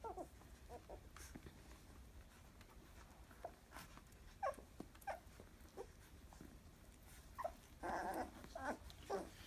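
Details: Labrador Retriever x German Shepherd puppies from a first litter, 14 days old, indoors; short soft whimpers and squeaks scattered across the clip, with a louder cluster of whines near the end, over rustling and shuffling.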